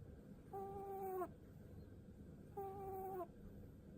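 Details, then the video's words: Sak, a seven-year-old pet rabbit, giving its pu-pu sound while its head is stroked: two drawn-out, nasal, whistle-like tones, each lasting under a second and ending with a slight downward slide, about two seconds apart, over a quiet indoor background. "うさぎのかわいい いびき（吐息）"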